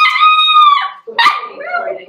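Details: Cavalier King Charles Spaniel puppies, kept in an indoor pen, being introduced to larger resident dogs and first puppy mash, December 2022. A long level whine is followed by a sharp yip that trails into a wavering, lower whimper.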